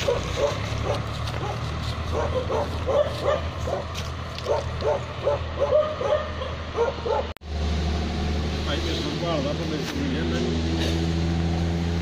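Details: Tibetan Mastiff and Gaddi dogs at a Punjab kennel in Khanna bark in a rapid, uneven series for about seven seconds, then a steady engine-like drone and voices take over.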